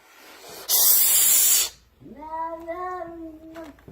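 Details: Indoor cat on the stairs that will not let its owner pass: a sharp, loud hiss lasting about a second, then a low, steady, moaning yowl for nearly two seconds, with a man shouting at it.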